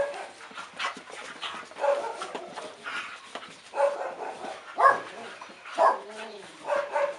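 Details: Two dogs at play give short yips, soft whines and grumbling growls in irregular bursts.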